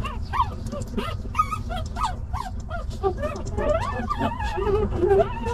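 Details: Stray puppies, a litter whose mother has just left, crying sadly: overlapping high, wavering whimpers and yips rising and falling in pitch, some short and choppy, others drawn out, over a steady low rumble.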